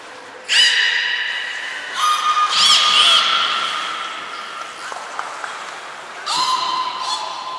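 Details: Training session with belugas at Port of Nagoya Public Aquarium, 11 January 2021: strong whistle-like harmonic calls start sharply, hold steady and fade, with a short warbling squeal in the middle and a final clear tone.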